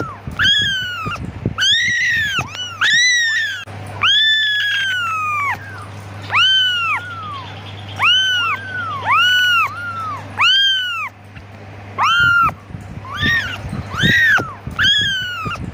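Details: A kitten calls its mother in a persistent series of high arching meows, some long and sliding down, others short and quick, with brief pauses and a faint low hum throughout.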